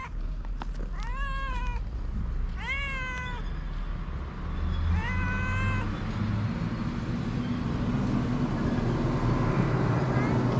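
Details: Pair of hungry homeless cats in Morocco meowing three times in quick succession, each call bright and arched, the third softer, followed by several seconds of urban background noise with a passing vehicle hum.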